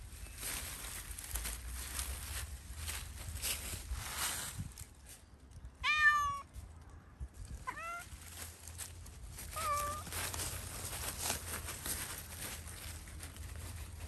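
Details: Roaming free in Pushkin Park, Zoey the cat lets out three clear meows around the middle, the first strongest, then two softer ones, against a hissing wind and low background rumble.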